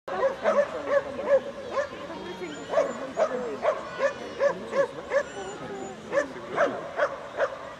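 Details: Beagle named Adel on a jumping course at the 21st Ukrainian Agility Championship, Valley of Roses, Cherkasy, 9 September 2017; sharp barks repeated roughly twice a second, with applause and crowd chatter behind.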